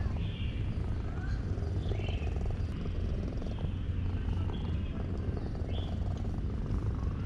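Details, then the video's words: Purring of a male cat enjoying being stroked: an unbroken low, throaty vibration, with a few faint short chirps above it. "Cat purred loudly to show his satisfaction with my petting."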